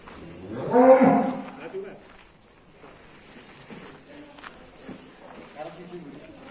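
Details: Cattle at an Indonesian cattle pen, described as angry and rampaging: one loud harmonic moo around one second, then quieter shuffling, faint voices and pen noise.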